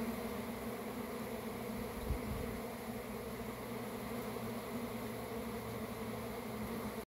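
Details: Swarming honey bees produce a continuous, thick buzzing drone that holds at a constant level. A brief low thump comes near the middle before the hum cuts off abruptly at the end.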